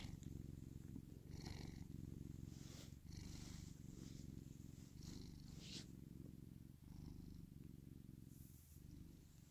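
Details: Pet cat purring steadily, a deep continuous low rumble with faint pulsing texture and a few brief breath breaks, some soft rustling and light higher-pitched scratchy noises over the top.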